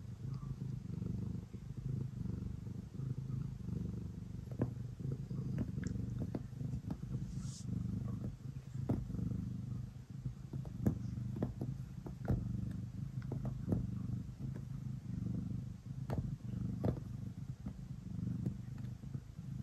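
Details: Kneading before bedtime, the pet cat Ace gives a steady deep purr, a buzzing low rumble cycling with each breath, accompanied by repeated small clicks and scratches of paws on fabric.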